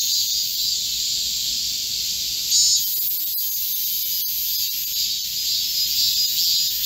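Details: Korean cicadas massed in a green forest on a hot midsummer day, 25 July 2024, producing an even, piercing buzz that swells briefly before settling back to a steady drone.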